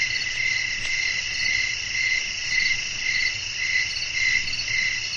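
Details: Nocturnal nature soundscape with wind and crickets: steady high-pitched trilling, pulsing in regular beats close to twice per second, layered over a constant shrill hum and low, soft background noise.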